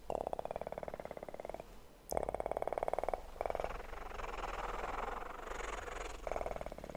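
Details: Kitten purring in bursts, a steady rapid throbbing that pauses briefly several times, with soft rustling between the purr bursts.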